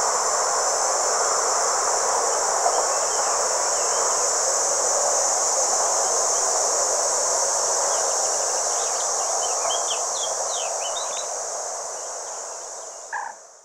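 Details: Red cicadas, Tibicina haematodes, singing at a motorway rest area in the Vienne department, France, on 27 June 2023: an unbroken, high, steady buzzing over a dull traffic roar, with brief chirps near the end.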